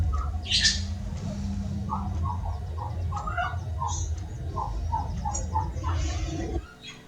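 Short, bright chirps come in a quick irregular series, opened by one higher, sharper squeak. Chinchillas make this happy chirping when communicating with each other and while playing, over a low, steady background hum.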